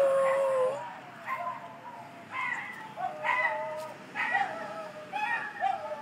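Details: Staffordshire Bull Terrier howling along with a passing ambulance siren: a series of wavering, whining howls rising and falling, roughly one per second, over a steady background hiss.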